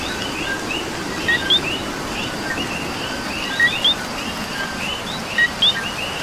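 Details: Rainy Puerto Rico night with a coqui calling: three crisp two-part co-qui phrases, each a low note and then an upswept whistled note, spaced about two seconds apart above a background frog chorus and falling rain.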